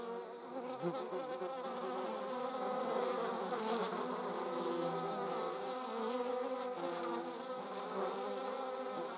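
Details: A dense, rough buzz from bees and wasps, 26 July 2019, holds steady for the whole stretch, with overlapping tones shifting slightly in pitch and faint flickers of higher noise.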